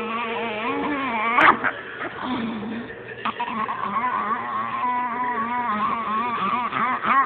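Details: Pekingese pet dog being petted, giving a continuous low rumbling growl with a wavering voiced tone throughout, a sharp click near the start, and a person talking over it.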